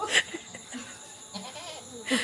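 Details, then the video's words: A male goat being brought into a house gives two short, harmonic bleats, one at the start and one at the end, with faint insect buzzing and soft background noise between them. "পাটা ছাগল ঘরে তোলার কীর্তি"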